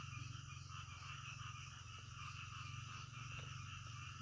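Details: Nighttime frog chorus with dense, quickly repeated low croaking pulses under layered, buzzing higher trills, with no break in the calling.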